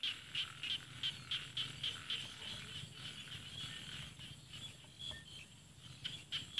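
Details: In an Isan rice field in northeast Thailand, a frog gives bursts of short, bright clicking notes several times a second. The calls fade out in the middle, then return toward the end against a soft, low rumble.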